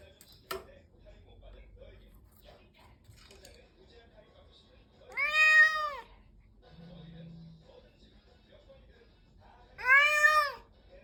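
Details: Adult domestic cat being introduced to another cat in a new home: two loud, drawn-out meows with rich harmonics, each rising then falling in pitch, about four seconds apart, with a short low hum between them in a quiet room.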